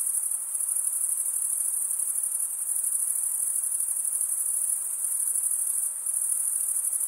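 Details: A chorus of crickets produces a relentless high-pitched chirring, one sustained shrill tone with slight dips in loudness near the middle and end, and no accompanying sounds.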